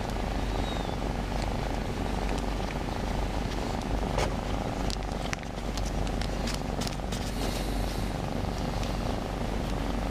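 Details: Continuous deep purring from a shy new house cat that comes out for cuddles, recorded while it is petted in a strange position; soft fabric rustles and brief clicks from handling.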